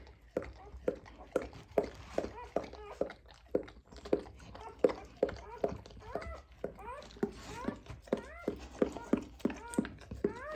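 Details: German Shorthaired Pointer Echo giving birth indoors; high, harmonic whimpering cries repeat about twice a second, many rising sharply at the end, with low background rumble throughout.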